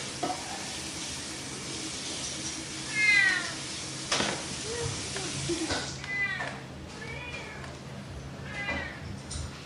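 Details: Mischievous cat meowing a few times, with rising-then-falling wails around three seconds and a cluster of calls later, set against steady hissing, sizzling background noise.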